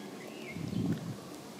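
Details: A common frog (Rana temporaria) in a garden pond with water plants and goldfish gives a brief, soft, low rumbling croak of about half a second, after a faint thin whistle against quiet outdoor background noise.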